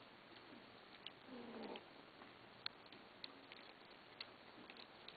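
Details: Domestic kittens begging for food, then growling at each other as they eat; one brief, low, harmonic meow-like call near the start, followed by scattered soft clicks and patter over a steady hiss.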